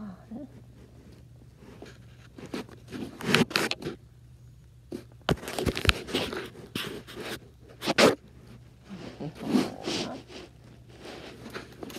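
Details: Bursts of scraping, rustling and crunching over a low hum, like fabric or objects being handled, with no animal voice.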